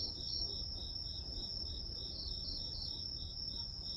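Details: Grass insects calling: a steady high shrill tone with lower, rhythmic pulsed chirps repeated about three times a second, over a soft low rumble.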